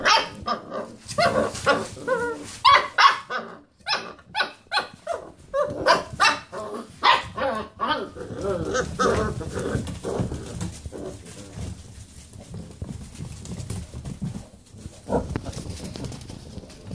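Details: Basset Hound puppies playing round a computer chair start with rapid repeated yelping barks and roos, then fade into low rumbling, scuffling noise with only an occasional faint yip near the end.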